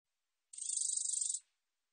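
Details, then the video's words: Black-edged katydid (검은테베짱이), National Institute of Biological Resources, 2020: one sharp, high, ticking buzz of roughly twenty fast pulses, slightly quieter at its start, lasting under a second amid silence. "검은테베짱이, 여러번 듣기, 곤충소리"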